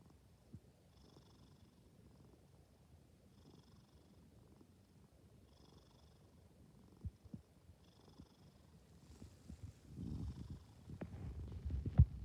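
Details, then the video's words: Soft snores from a sleeping cat in a quiet room: four faint, airy breaths spaced about two and a half seconds apart, then louder rustling and thumps near the end. "Snoring Cat"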